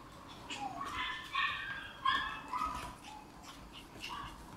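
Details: Red Shiba Inu female puppy born on 23 August, giving a few short, high, whining yelps that rise and fall, spaced irregularly over a few seconds against a quiet room.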